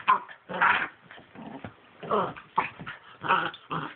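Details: Two 10-week-old pitbull puppies, a brother and sister, play fighting: irregular bursts of raspy growls and yelping snarls, with scuffling between them.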